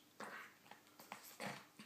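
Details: Alan, an English bulldog 'having a chat' indoors, gives short hoarse grumbling bursts, two longer ones at the start and near the end with brief clicks and snorts between them.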